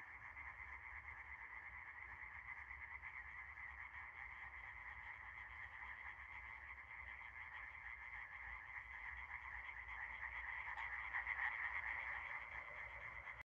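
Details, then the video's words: Many frogs in a night-time chorus, overlapping fast rattling croaks forming an unbroken droning hum that swells louder toward the end, with no other clear sounds. "Froschkonzert - Das ultimative Quak-Event!"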